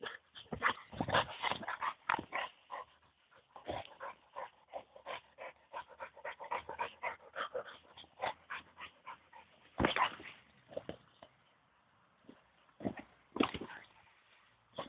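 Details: Henry, a five-year-old Boxer, chasing a football: fast breathy puffs and snuffles in dense bursts, a louder burst near ten seconds, then sparser huffs with quiet gaps.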